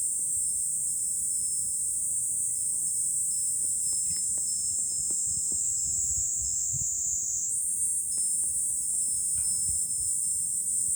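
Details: A steady, piercing July cicada drone recorded on a hill overlooking Fukuoka City, Japan; the tone jumps slightly in pitch midway, accompanied by occasional short tinkling clicks and low background rumble.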